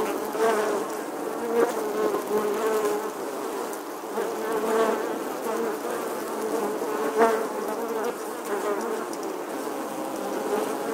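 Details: Honey bees nesting in the stonework of an eleventh-century English church wall, filmed in August 2020: a dense, continuous swarm hum centred low-mid, many overlapping wingbeat buzzes swelling and fading, with brief louder passes near the recorder.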